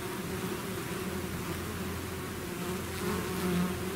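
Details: Continuous buzz of a bee swarm leaving its hive, many insects humming together in a low, even drone that swells slightly louder near the end.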